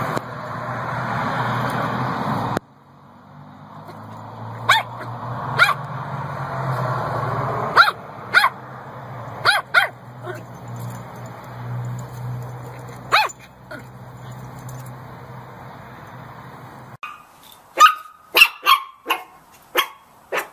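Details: Puppy barks and yips appear as scattered short, sharp bursts, growing denser toward the end. A loud steady rumble opens the recording, and a quieter hum continues underneath for most of it.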